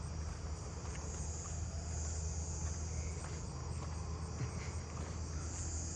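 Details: At night in a neighbourhood, a southern ground cricket sings a steady, high, buzzy trill over a low background rumble; another southern ground cricket calls nearby.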